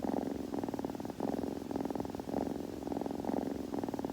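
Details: Young cat purring during grooming: a low, vibrating hum rising and falling in even cycles of roughly half a second to a second, recorded very near in a hushed indoor space.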